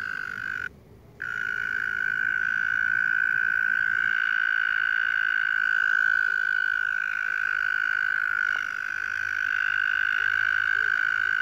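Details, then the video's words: Loud, sustained pulsed trill from a tiny frog, heard while walking home. The buzzy note holds one level pitch for over ten seconds, broken only by a short gap near the start, with faint low background rumble. "Tiny frog with a loud throat"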